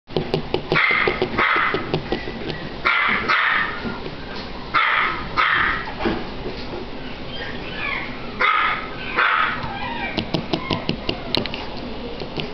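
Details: Chihuahua barking in short bursts, clusters of sharp yaps around two and five seconds and again near eight to nine seconds, with clicking and rustling noise between bursts.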